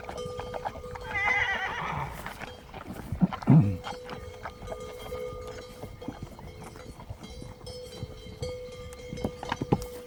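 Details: Relaxed horses, including a mother with a young one, lick a salt block on a mountain alongside some donkeys, recorded from about 20 metres. A wavering, quavering whinny rises early, then a short low snort-like burst. A steady tonal hum and faint clicks run throughout.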